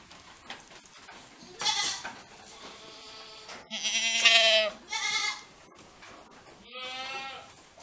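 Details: Saanen dairy goats at BSL Farm, Gunung Sindur, Bogor, Indonesia, bleat in several separate bursts: a short nasal cry, then a longer wavering one, a brief one after it, and a final drawn-out quavering bleat, with quiet farm noise between.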